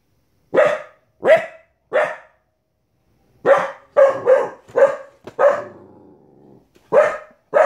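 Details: A 15-week-old female Border Collie puppy barks at wolves and other animals on TV: a series of sharp, harmonic barks, three spaced at first, then a rapid run of five, one trailing into a faint whine, and a final bark.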